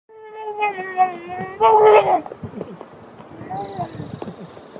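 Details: Black bear cubs in a family group calling while they eat, guarding their food from the other cubs: whiny, wavering, tonal cries with rich overtones, then a loud harsh burst near two seconds, and softer cries after.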